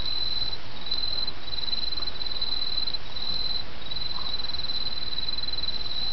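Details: Autumn insect chorus: a high, unbroken trill with short gaps every second or so, set against the steady murmur of flowing brook water.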